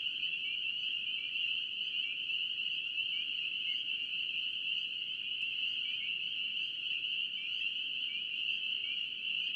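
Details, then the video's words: Spring peepers in North Carolina calling as a dense chorus: a steady, shrill band of high peeps with short rising notes flickering through it, continuous and unbroken, with a soft low rumble beneath. "NC Peeper frogs"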